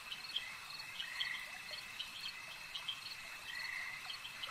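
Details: Lakeside frog chorus: rattling mid-pitched croaks come in clusters, the loudest near the end, layered over a constant shrill drone and brief higher clicks.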